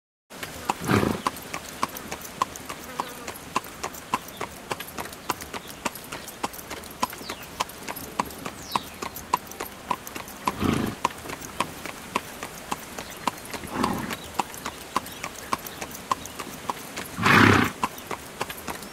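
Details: Horse pulling a carriage: steady, rapid clip-clop of hooves throughout, with four louder rushing bursts near 1, 11, 14 and 17 seconds.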